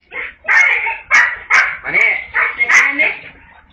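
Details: Siberian Husky overjoyed on hearing a family member's voice, making a loud fuss: a rapid run of about seven bright, wavering yowls and yelps, each under half a second, close and loud.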